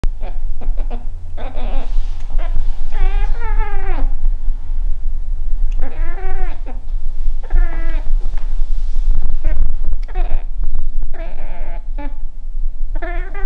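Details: Scottish Fold cat, a female pet that likes to talk, chirping at a fly: a run of short clicky chatters, then several wavering, harmonic meows that rise and fall, some quick and stuttered, over a steady low hum.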